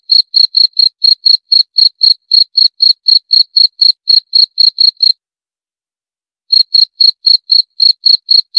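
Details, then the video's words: Steady high-pitched cricket chirps repeating about four times a second for five seconds, then a silent gap of over a second, then the same rhythmic chirping again. "23 Menit Suara Jangkrik - 23 Minutes Cricket Sound Effect"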